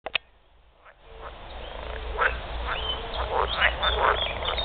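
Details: Edible frogs calling in their mating chorus: after a quiet start with a few clicks, a dense, swelling chorus of overlapping rasping croaks fills the rest, with bursts coming rapidly and unevenly from several frogs.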